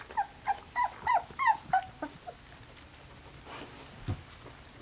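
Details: Poodle puppies slightly over two weeks old in a litter give a quick run of about six high, bending whimpering cries within two seconds, then fall quiet apart from faint rustling and a soft thump.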